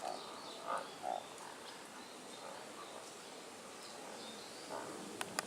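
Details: Tago's brown frog male giving courtship calls from shadows and holes among streamside rocks below a cliff; two or three brief muffled croaks close together early on, then a lone one, set against continuous stream noise and a few clicks.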